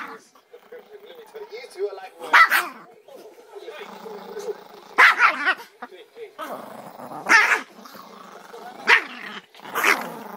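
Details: Angry pet Chihuahua barking in short, harsh, explosive bursts spaced every one to three seconds, with a person talking steadily between the barks indoors.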